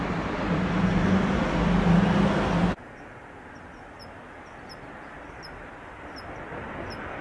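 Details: A Kanetataki cricket (Ornebius kanetataki) in late autumn, as temperatures drop and its calling weakens near the season's end, gives soft, high, metallic chirps in a steady series after a passing vehicle's rumble.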